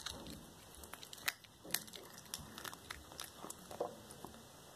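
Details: Indoors, the black tabby Cracker chews through a whole raw rat; sharp crunching bites and bone cracks, two especially loud snaps near the start, then softer wet chewing clicks over quiet background.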